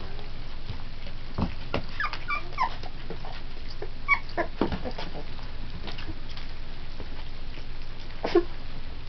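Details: Three-week-old Pit Bull puppies eating puppy formula and playing with each other; scattered short high whimpers and squeaks over steady low background hum, with soft bumps and shuffling.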